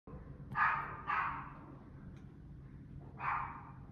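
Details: A dog gives three sharp, hoarse barks, two close together and one after a pause; incessant barking dogs at a building, 17 July 2021, 5pm.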